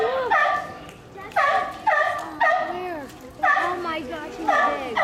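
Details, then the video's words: Mother sea lion barking repeatedly: loud, harsh, tonal barks in short bursts about every half second to one second, some grouped in pairs and threes, with voices of people faintly behind. ""Belching" Sea Lion"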